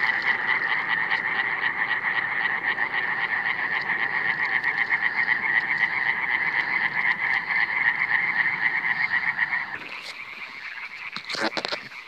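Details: Iberian tree frog (Hyla molleri), 2017 encounter, calling in a loud, fast, rasping pulse train for nearly ten seconds before stopping. After the call ends, fainter background noise and a few brief clicks and rustles remain.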